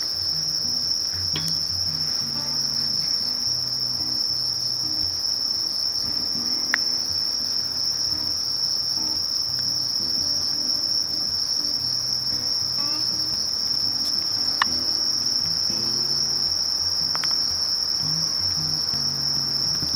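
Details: Conocephalus melaenus, the sasakiri katydid, giving a relentless, level high-pitched drone throughout, punctuated by a few brief sharp taps and soft low background noise.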